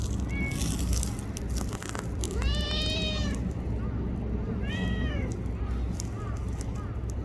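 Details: Tiny black-brown tortoiseshell stray cat in Japan, petted while sitting close beside someone, gives two arched, bright meows a couple of seconds apart, plus a faint short mew, against constant low background hum and rustling.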